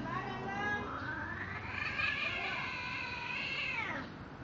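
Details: Hungry stray cat in Damansara Damai, giving one long, drawn-out meow that rises then falls and fades over about four seconds, with steady background traffic noise.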